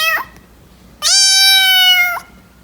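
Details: A domestic cat gives a brief clipped meow, then after a pause a long, level, strongly harmonic meow lasting over a second, rising slightly at its end.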